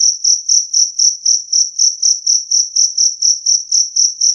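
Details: Two-spotted cricket (jangkrik kalung) calling clearly and loudly, a sound used to scare off rats. About seventeen high, pure chirps follow one another at a quick, regular pace in a silent setting.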